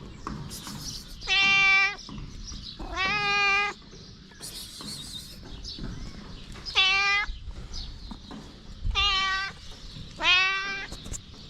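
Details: Mother cat with kittens, stray street cats; five clear high harmonic meows, each about half a second, spaced one to two seconds apart, over low background noise.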